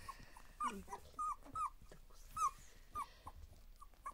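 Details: Border Collie puppies, two weeks old, playing together for the first time: a series of about six brief, thin, slightly arching squeaks at a steady mid-high pitch, coming roughly every half second, with faint rustling between.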